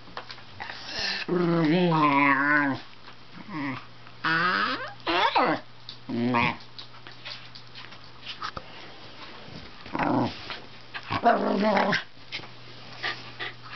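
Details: Indoor Wire Fox Terrier talking to its owner near a futon. It gives several sliding, warbling whines and yodel-like moans in irregular bursts, with sniffing, shuffling and a steady low hum between them.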